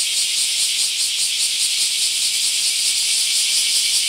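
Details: Steady, dense buzzing of many bear cicadas during a mass emergence in an Akashi city park, Japan; a shrill, hiss-like wall of sound with a faint rapid throb, loudness even from start to end.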